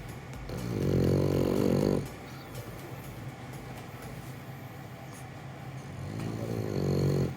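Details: A male French Bulldog sleeping peacefully in his owner's arms in Japan gives deep, raspy snores, each a rough buzzing rattle over a second long, about five seconds apart, with quiet breathing and low room noise between.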